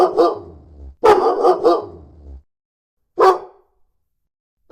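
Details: Dog barking in a compilation of varied breeds, large and small: a single bark, then a quick run of three barks, and after a pause one more bark, with a low hum under the first barks.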